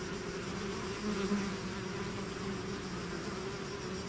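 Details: A swarm of bees emerging from its hive makes a steady, deep collective buzz, one short surge in the first half, otherwise level and continuous.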